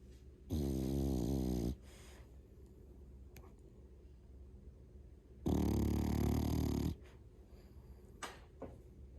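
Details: Male French Bulldog, 11 months old and 8.7 kg, snoring loudly: two long, rough, low rumbling snore bursts about four seconds apart, each lasting over a second, with quiet breathing and faint clicks between.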